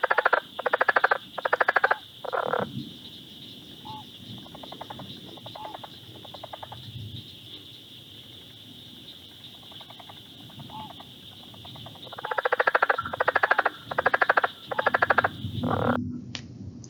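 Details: A southern leopard frog in Ohio, which calls only from early March to April, gives guttural clucking bursts that are faster and more explosive than a northern leopard frog's, over a steady high insect-like drone.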